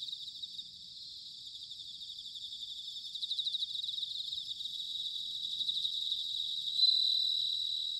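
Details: Bell crickets singing in autumn, recorded in Sanuki, Chiba, Japan with field recorders: dense, high ringing trills layered over one another, with pulsed bursts swelling and fading and one brighter sustained ring near the end.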